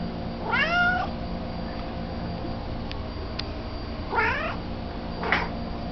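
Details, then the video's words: Indoor cat during a midnight treat shared with another cat, giving three meows: a long wavering one near the start, then two shorter rising-falling meows about a second apart. A steady low hum runs underneath. "LeRoy the cat makes some noise"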